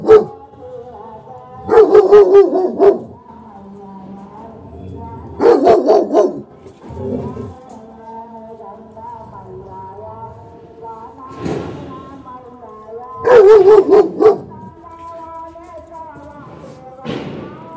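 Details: An aggressive German Shepherd barks in loud, harsh bursts over a steady musical background.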